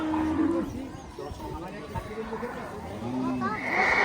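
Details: Cattle at a cattle and goat market held on the Dhanpati Khola Primary School field; a short, steady lowing moo rises out of a dense hubbub of crowd voices, with further faint moos later under the chatter.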